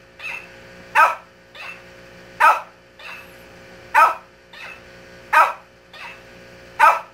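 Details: Indoors, a Shih Tzu trades barks with a mimic toy: six strong, sharp barks spaced about 1.4 seconds apart, each preceded or trailed by a fainter, higher repeated bark, forming a steady back-and-forth rhythm.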